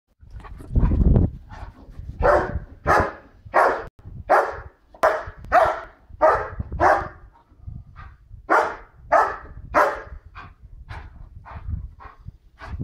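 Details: White Swiss Shepherd female running about and barking loudly at people walking their dog behind the wall, showing she is boss; about seventeen sharp, deep barks in irregular bursts, with brief pauses between runs.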